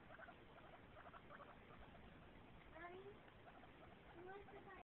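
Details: Pet guinea pigs, Jacksonville, North Carolina, 6 September 2010: soft pulsed chatter gives way to two squeaky rising whistles, around the third second and again near the end, before the sound cuts off abruptly.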